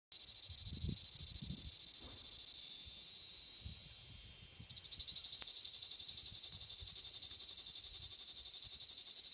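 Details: Male cicada singing in southern France: a dense, high buzzing pulsed rapidly and evenly, fading into a softer steady hiss midway before bursting back into loud rhythmic pulsing; faint low thumps beneath.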